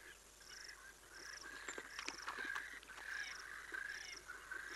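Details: African wild dog at Cateye in Olifants West, part of the Greater Kruger's private reserves in South Africa, picked up by a streaming camera: short, high twittering chirps come in loose bursts, with rhythmic insect buzzing behind them.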